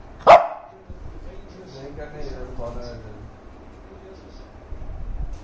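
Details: An angry Shih Tzu gives one sharp, high bark to demand attention while the people are busy filming, followed by faint murmuring voices.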